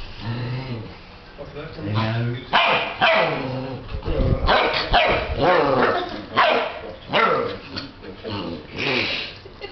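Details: Alaskan Malamute puppies from an 8-week-old litter born in 2008 vocalize with a man who answers them. Their wavering, harmonic woo-woo calls bend up and down, interleaved with human talking.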